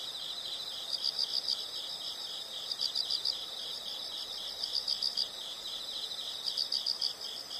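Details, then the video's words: Nature sound of insects: rapid high-pitched pulsed chirps grouped in short bursts about every one and a half seconds, layered over a steady shrill trilling chorus with soft background noise. "the sound of insects"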